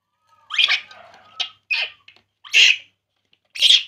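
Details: Baby monkey crying while drinking milk: five shrill, squealing cries, each under half a second, spaced roughly a second apart, with a faint steady tone running underneath the first part.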